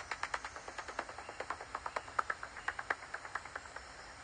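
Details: A pipistrelle's echolocation pulses in light rain come through as rapid, dry ticks, roughly eight to ten each second.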